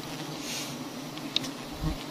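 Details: Brief, even droning of honey bees around big hives on a tree in a palm garden, with a soft tap and a light thud near the end.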